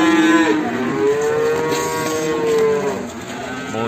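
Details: Limousin calf in the morning from Ambarketawang, Sleman: a brief low moo, then a long steady tonal moo of about two seconds that dips slightly at its end, over busy background noise and murmuring voices.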